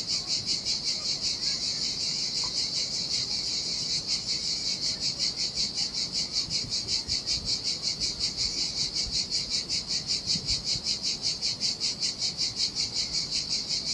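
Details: Heat-loving cicadas singing by the turquoise Sardinia sea on an empty beach: a bright, hissing buzz that grows more sharply pulsed after a few seconds, beating about two and a half times each second.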